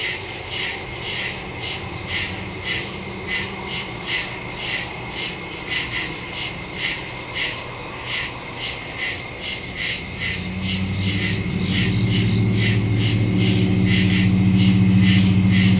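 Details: Woodland crickets at night, September 2, 2023, recorded on a Samsung Galaxy S22 Ultra with a Shure MV88+ microphone; rhythmic high pulsing chirps continue while a low rumbling drone rises and grows loud in the second half.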